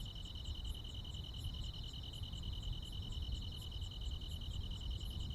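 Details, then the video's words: Countryside crickets and insects on a midsummer night, an unbroken high-pitched trill holding steady while sparser, very high clicks tick irregularly above it, over constant low-frequency background noise. "시골 야간 귀뚜라미, 벌레 소리"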